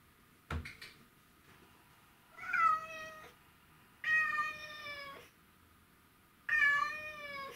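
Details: Mimi, a white and ginger male Domestic Shorthair cat missing his owner, recorded 12 August 2018 indoors, gives three drawn-out harmonic meows, each about a second long, after a sharp knock near the start.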